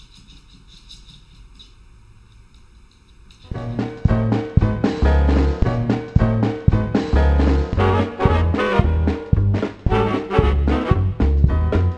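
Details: A quiet opening gives way to loud, bouncy swing music with brass and a steady beat, and no animal voice is heard.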